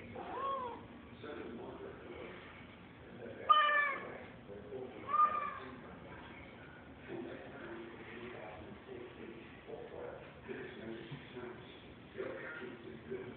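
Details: Pet cat going after a fly, making weird noises: mostly soft chattering murmurs, broken by two brief, sharp, squeaky chirps at about the middle of the stretch.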